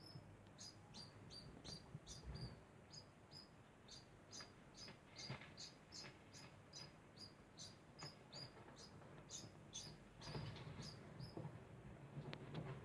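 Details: Degu giving a continuous string of thin, high chirps at two to three per second for the whole stretch, with faint rustling and low background noise beneath.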